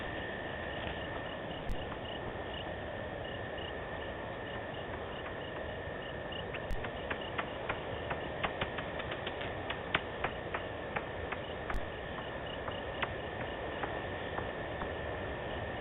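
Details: Bats calling at night in the wild in Africa, on 7 February 2018, give short metallic pings and ticks repeated at a steady pace over a constant hum.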